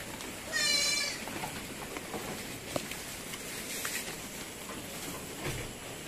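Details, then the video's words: Newborn F2 Anglo-Nubian goat kid on a farm in San Carlos City, Negros Occidental, Philippines: one short, quavering, tremulous bleat early on, followed by quiet farmyard background with soft clicks and faint voices. "Bagong anak na kambing | F2 Anglo-Nubian RIZAL Line"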